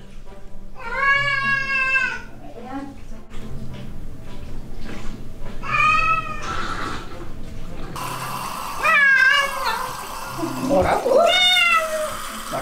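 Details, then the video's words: Ragdoll cat furious at being given a bath indoors: four drawn-out, harmonic-rich yowls, each about a second long, spaced a few seconds apart and rising and falling in pitch, with a person talking and background music between them. "목욕하다 극대노하는 고양이 ㅋㅋㅋ"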